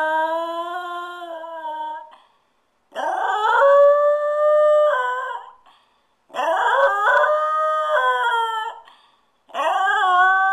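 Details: Stewart, a pet dog howling while his owners are out for ten minutes, produces four long wavering howls in steady succession, each lasting about two seconds with short silent breaks, some sliding up at the start.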